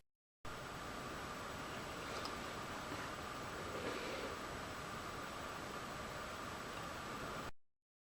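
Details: Steady hiss of broadband noise with a faint hum, and no animal voices at all.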